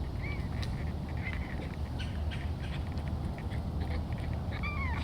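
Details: A hungry, food-motivated bobcat at a sanctuary in Tampa, Florida, excited at breakfast time as he is offered meat, gives short, high, chirping mews that bend up and down over a steady low rumble.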